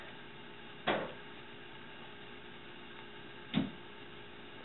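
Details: Two short knocks or thumps sound in a quiet small room over faint steady hum, with no animal voices.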